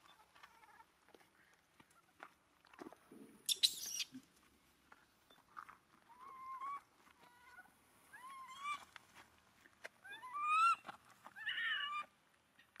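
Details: Abandoned monkey crying while hugging its owner's feet: a series of thin, wavering whimpers that rise and fall, growing louder toward the end, separated by soft rustles and clicks in a quiet setting.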